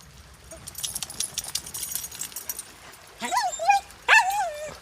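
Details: Australian cattle dog barking at river water while playing outdoors: after a stretch of splashing water, three sharp, rising-falling barks come in quick succession near the end.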